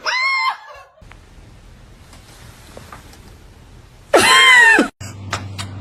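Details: Kitten meowing indoors: two loud, drawn-out harmonic meows, one at the start and a longer one near the end, each arching up then sliding down in pitch, with a low steady room hum and faint clicks between them.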